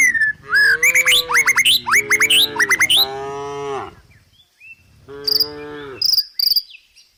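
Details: Tame village cows heading down a country hill through forest give a run of long, sliding moos, then a pause and another moo, with sharp bird chirps and twittering layered above.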